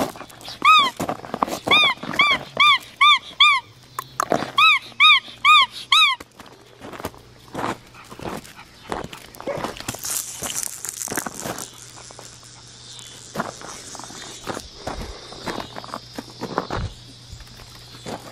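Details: Black tri male Australian Shepherd puppy, almost five weeks old, on a farm by a fence, Monday, September 21, 2020. He gives two quick bursts of high, sharp yips over six seconds, followed by rustling and handling noise.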